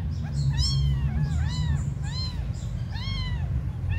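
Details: Small abandoned kittens crying: clear, arched meows that rise and fall, several per second, some overlapping, with a constant low-pitched hum beneath.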